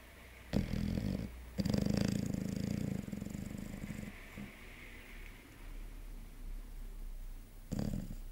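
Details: Yogi, a six-month-old chocolate Labrador Retriever, snores while sleeping: harsh, low, rumbling breaths in bursts of about one second, a long gap, then one more short snore near the end.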